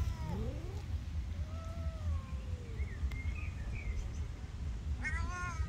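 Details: Angry cat up in a tree giving drawn-out, falling meows with a strained harmonic tone, then a sharp rising-falling yowl near the end; faint bird chirps and steady low rumble of background noise.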